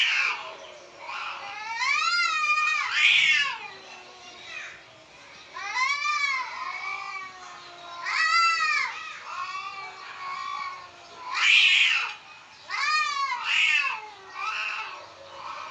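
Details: House cats indoors, frightened while outside cats fight: drawn-out wavering meows and yowls come in bursts every few seconds, rising and falling in pitch, in a quiet room.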